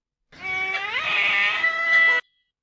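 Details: A domestic cat gives a loud, drawn-out, high-pitched cry of pain that rises and holds steady, uttered during a fight with another cat.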